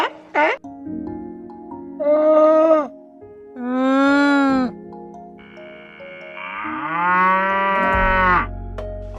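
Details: Cattle lowing in a series of separate harmonic calls, some short and some drawn out, with a sliding pitch, set against soft background music.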